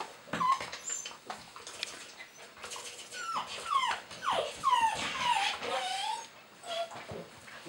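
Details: Border Collie puppy Chloe from the long-awaited litter "C" of SunShine kennel, bred from MerryShine and Final Countdown at Real Pearl, indoors: a run of thin, falling whines and short yips, with rustling and a woman speaking Russian at the start.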